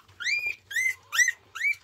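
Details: Newborn Border Collie puppy Lemon, three days old, one of six pups born to mother Coco, squealing indoors after being stepped on: four short high whining cries, each rising then holding steady, spaced about half a second apart.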